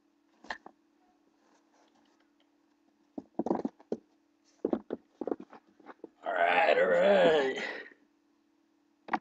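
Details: Blue pit bull puppy fighting playfully with a person: scattered short grunting bursts, then a long, loud, wavering growl lasting about two seconds, over a steady low hum.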